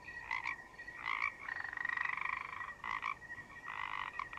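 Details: Forest frogs croak almost nonstop: short rasping bursts, then a longer drawn-out rattling croak, then more clipped pulsed croaks, over a constant high-pitched cricket-like hum.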